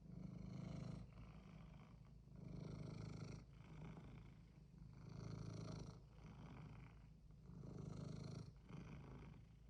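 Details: Domestic cat purring steadily while it clearly wants something: a low, rumbling drone that swells and fades in slow breathing cycles, each lasting about two seconds, with no other clear sounds.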